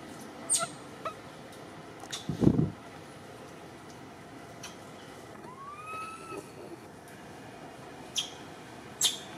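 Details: Baby monkey Cody, one of Cambodia's temple monkeys, crying scared up in a tree while its mother is missing: one clear rising tonal whimper with harmonics, a dull thump just before, and sharp clicks and rustles in a steady hiss.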